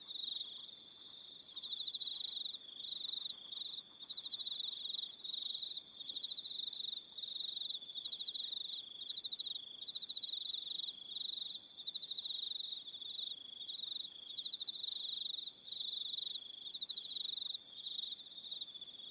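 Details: Crickets calling on an evening at Aroha Island, New Zealand: a dense high steady trill in pulsed bursts with brief gaps, several singers overlapping at slightly different pitches.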